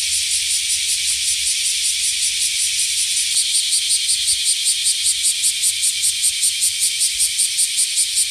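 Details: Shrill, unbroken cicada drone, high and hissing, beating in fast regular pulses about two to three per second that grow more distinct in the second half, over a faint low rumble.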